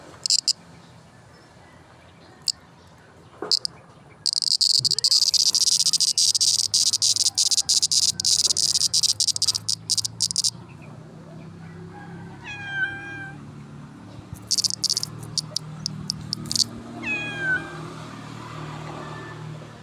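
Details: Cricket, locally called kuliglig, chirping in a loud, shrill, high-pitched run of rapid pulses, then shorter bursts of trilling; separate whistled calls with falling notes from another creature appear twice later.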